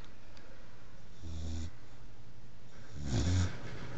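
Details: Bullmastiff puppy just over three months old, asleep on a chair indoors, snoring: two low rumbling breaths, a softer one near 1.3 seconds and a louder, noisier one near 3.2 seconds, over quiet background hiss.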